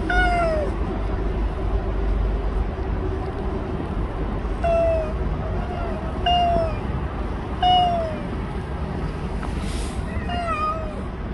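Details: Last recording of Bolt, a stray cat that lived near people for a year and five months: short falling meows spaced every one to two seconds over a steady low traffic-like rumble.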